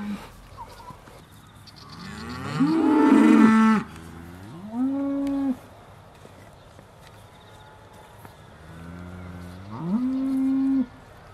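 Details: Aussie Red dairy cows at Beaulands in December 2012, about to be milked, give a series of lowing moos: a loud, harsh one lasting over a second, then two shorter, steadier calls spaced several seconds apart.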